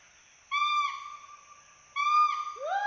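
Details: In Assam's Hollongapar Gibbon Sanctuary, a pair of playful Western hoolock gibbons in the treetops. Two long, even, pure-toned hoots sound with a quiet gap between them, and the second slides into a sharply rising whoop.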